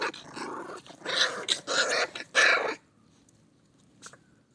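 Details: Pit bull puppies growl loudly and harshly in four close, gritty bursts over nearly three seconds, then fall quiet apart from one faint short yip near the end.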